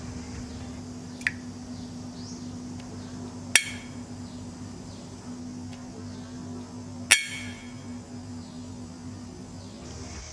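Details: At a mangrove learning centre in Thailand, a snapping shrimp in a metal bowl, threatened with a brush, fires air-bubble snaps that hit the metal. The sharp, cracking snaps are spaced a few seconds apart.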